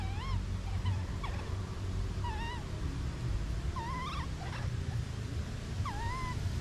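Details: Baby monkey separated from its mother, crying: wavering, whining tonal cries with rising-and-falling inflections, given in short bursts about once a second, over a steady low rumble of background noise.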